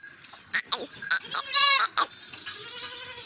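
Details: Goat on a small farm: one short quavering bleat with a wavering tremolo, lasting about half a second, set among sharp clicks and knocks, with faint background noise afterwards.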